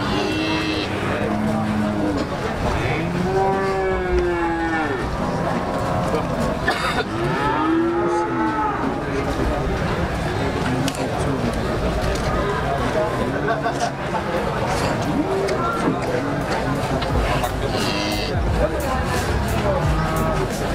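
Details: Large cattle at the Muntilan cattle market, Indonesia, near the end of 2019, lowing with long, deep, arching moos around three to eight seconds in, amid constant crowd chatter and market bustle with occasional vehicle noise.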